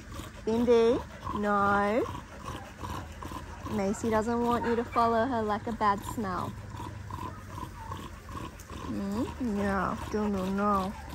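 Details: Cattle dog puppy Linc at play with the big puppies in a paddock: repeated moaning, rising-and-falling whines and howl-like yowls in groups, over a steady low background hum.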